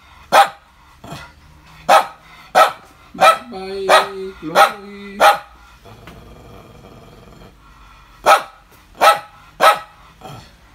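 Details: A morning bout of barking from Chloe, 5 July 2019: about ten sharp barks, mostly less than a second apart. A steady tonal whine sounds midway, followed by a short quieter pause before the barks resume.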